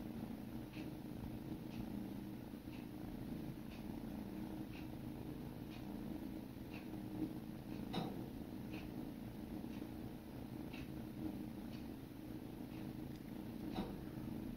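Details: Sibling kittens lick and groom each other to a constant rumbling purr. Short crisp licking clicks repeat at roughly one-second intervals, with one louder click midway.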